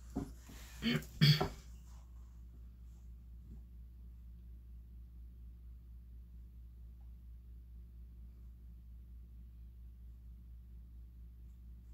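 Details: Two brief broadband knocks or rustles at the start, then a steady low indoor hum with no animal voice.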